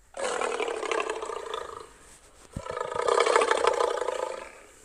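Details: Lion giving two loud, harsh roars with a brief pause and a few sharp knocks between them, the second roar stronger and more drawn out.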